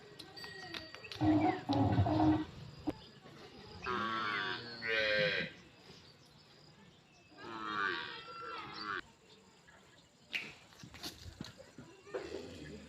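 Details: Cow nursing her calf on an Indian farm; two drawn-out, wavering moos with rich harmonics, each lasting about a second, among a man's calling voice and a lower, rougher call early on.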